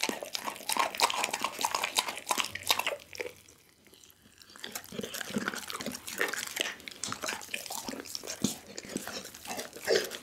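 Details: Pit bull named Doggy working through a whole raw chicken indoors, on an Insta360 ONE R: wet, sticky crunches and crackling bites, a near-silent pause of about a second in the middle, then steady chewing resumes.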